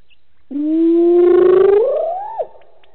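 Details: Wild hyena at a waterhole on Djuma Game Reserve, Sabi Sand, South Africa, calling alone in the evening after a drink: a single drawn-out whoop, steady then sweeping upward and ending with a sharp falling flick.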